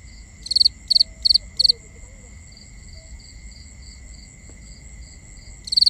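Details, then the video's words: Crickets at night, recorded binaurally: four loud, evenly spaced pulsed chirps, then a long stretch of softer background chirping with a few faint low whistles, before another loud chirp. "Cricket Conversations | Binaural Nighttime Ambience"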